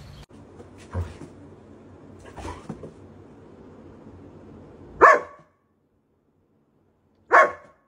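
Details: German Shepherd puppy giving two short, sharp barks about two seconds apart, after a stretch of low, muffled background rumble with faint thuds.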